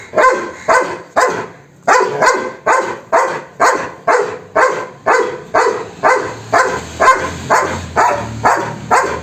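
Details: Loud, regular barking by a German Shepherd: around eighteen sharp, broad barks, about two each second, in an even rhythm throughout, with a faint low hum in the later part.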